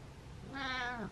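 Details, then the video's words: Happy male domestic cat meowing indoors, his first happy meows in a while: one clear, drawn-out tonal meow with rich harmonics, rising slightly then falling at the end, over a quiet room background. "First Happy Meows in a While"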